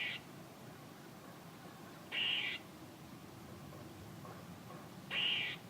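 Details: Squirrel giving harsh, buzzy bursts about half a second long, spaced roughly three seconds apart, over a quiet, steady background hiss.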